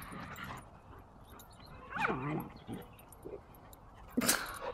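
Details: German Shepherd pups playing with their mother; short whimpering yips and a rising whine around the middle, a brief sharp bark-like burst near the end, quiet background.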